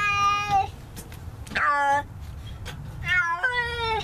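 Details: Feral cat in a neighbourhood, being trapped for trap-neuter-return, gives loud harmonic meows: a long level cry, a short bent one near the middle, then two drawn-out wails at the end, over a low background rumble.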